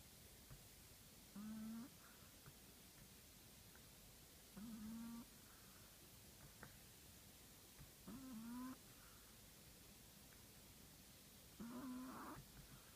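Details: A Chihuahua known as the shop manager snores in its sleep: four short nasal, tonal snorts with a buzzy overtone stack, each about half a second long and slightly rising, spaced roughly every three and a half seconds over a quiet indoor hiss.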